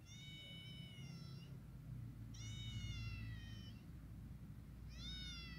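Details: Domestic kittens, 21 days old, with their mother outdoors: three high, thin, slightly wavering mews with rich harmonics, each about a second long, spaced a few seconds apart over a low steady rumble.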